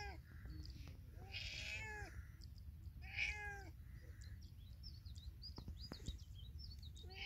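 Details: A cat in village surroundings gives two drawn-out, bending meows in the first half, then quieter scattered clicks and faint sounds against a constant low background hum.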